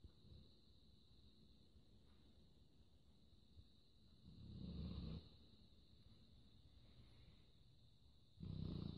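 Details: A sleeping Labrador Retriever snores indoors: two low, rough, breathy snorts, one near the middle and one at the end, over quiet breathing and a steady high-pitched electrical whine.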